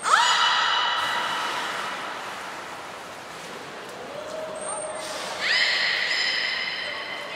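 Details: Training session with the belugas Hodoi, Taanya and Mirai at Port of Nagoya Public Aquarium, 14 September 2019. A bright rising harmonic call opens, a lower tone follows midway, then a short high thin whistle and another strong harmonic call.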